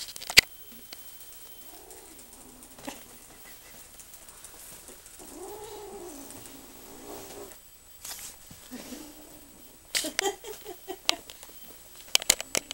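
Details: Food-protective kitten growling over something edible; soft rumbling growls rise and fade, one longer wavering growl mid-way, followed by rustling and clattering handling sounds.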